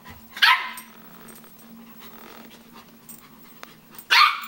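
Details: Australian Shepherd puppies: two sharp, high-pitched yipping barks about four seconds apart, with a faint steady hum and light rustling in between.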